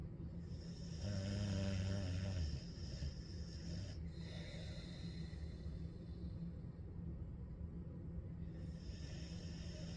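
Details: Ellie, a dog, snoring on a hot day: a deep, rumbling snore swells for about a second and a half over a steady low hum, followed by fainter breathing.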